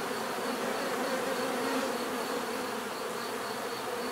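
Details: Bees producing their natural buzz: a close, even hum with a faintly pulsing, wavering tone over a constant background whirr.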